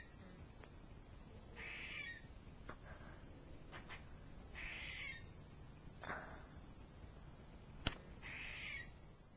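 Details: Squirrel giving rough, raspy call bursts about every two to three seconds, mixed with scattered sharp clicks over constant low background noise.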